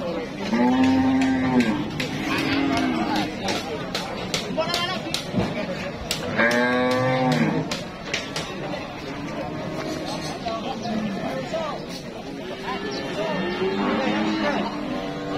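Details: Cattle at a busy market where demand is high and traders queue to buy: several long, low moos with harmonic stacks, some rising then falling, overlapping one another, with people talking and crowd chatter throughout.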